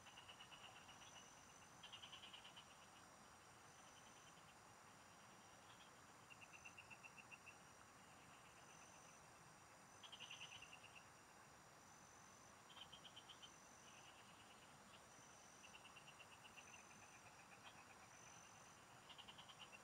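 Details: Field frogs in chorus while fishing: repeated bursts of quick pulsed croaks, each around a second long, come from several callers in turn, layered over a constant shrill insect drone.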